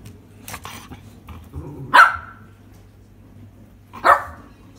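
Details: Ball-loving Miniature Schnauzer barks to order its owner to throw the ball. Two sharp single barks sound about two seconds apart, with quiet rustling between them.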